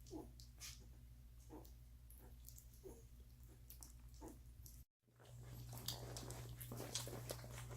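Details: Faint squeals from a week-old Doberman litter that eats and sleeps, siblings jostling for the best nursing spot; thin high whimpers repeat irregularly about every second, then a brief dropout before louder rustling and smacking, all over a constant low hum.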